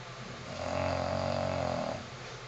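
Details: A 9-year-old female English Bulldog snores with a deep, rattling, drawn-out breath.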